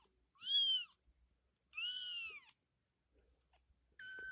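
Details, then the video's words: Kitten playing, giving three high, thin meows: a short arched cry, then a longer drawn-out one about a second later, and a third starting near the end; quiet room between calls. "Baby cat | Funny cat | Cat playing | Cat sound effect"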